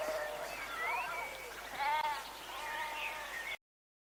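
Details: Sheep bleating: a string of wavering, quavering harmonic bleats, the loudest near the middle, continuing until the sound cuts off abruptly before four seconds.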